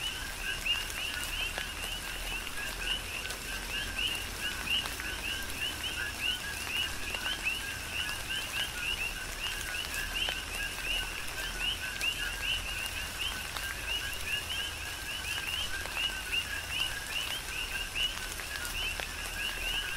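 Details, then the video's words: Dense chorus of coqui frogs on Hawaii's Big Island during tropical rain. Short upward-sweeping chirps overlap almost without pause for twenty seconds, layered over even rain noise and faint drips. "Tropical Rain & Coqui"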